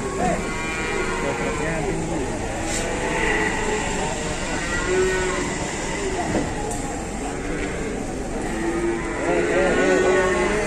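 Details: During the unloading of a huge Indonesian cow that will not budge, low sustained moos with wavering pitch surface through continuous crowd chatter, shouting and vehicle noise.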